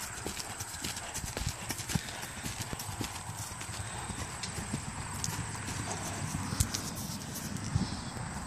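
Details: Off-track Thoroughbred on Buffalo Road, a continuous run of sharp hoof strikes at a steady trotting rhythm throughout, over a low rumbling background.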